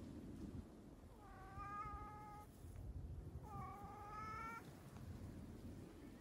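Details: Free-roaming community cat in nature at a scenic viewpoint in Okayama, Japan; two long steady meows of about a second each, separated by a short pause, over a constant low outdoor hum.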